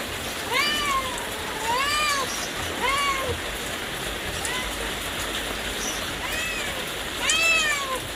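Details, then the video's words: Kittens and cats mewing in a run of about five bowed, tonal meows, each swelling up then dropping, spaced one to three seconds apart against a constant background hiss. "Funny Cats and Kittens Meowing Sound Effects Compilation"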